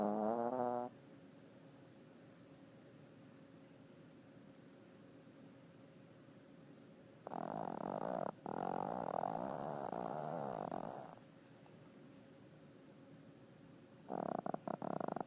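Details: Chunky, lazy male Chihuahua snoring during one of his daily naps indoors: one long, loud, raspy snore lasting about four seconds mid-clip, with brief rough snorts at the start and end and quiet breathing between.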